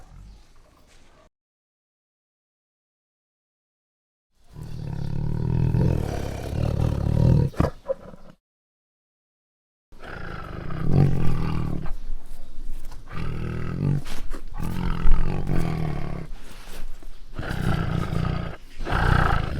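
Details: Lion roaring in two deep, rumbling low bursts separated by silence: a shorter one near the start, then a longer, pulsing stretch of repeated growling roars to the end.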